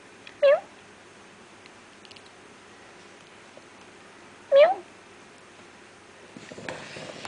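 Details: Feral kitten from a litter born in an industry area to a feral cat gives two short, high, slightly rising mews about four seconds apart, then rustling and handling sounds at the end.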